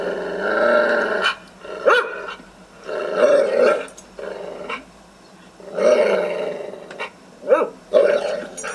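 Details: Guard dog sounding off to scare intruders: long, rough growling snarls broken by sharp barks, loud and aggressive, in bursts of a second or more with brief gaps.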